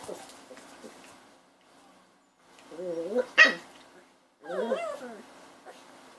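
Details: Indoors, a puppy lets out a wavering, whiny yelp, then a single loud bark, then another rising and falling whine after a short pause. A faint low murmur sits underneath.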